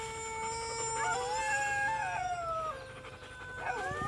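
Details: A black-coated female German Shepherd gives a long, tuneful howl that climbs, wavers, then sinks before a brief whining rise, reacting to recorded dog barking and howling played to her.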